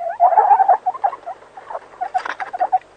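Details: Meerkat (Suricata suricatta), chatter call.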